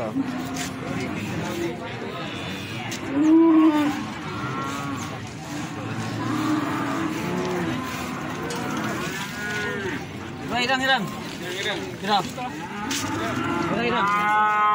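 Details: Feeder cattle at the Plaosan cattle market in Magetan: several deep, drawn-out moos overlap, one loud lowing call near the middle, with steady market chatter, traders' voices and a vehicle in the background.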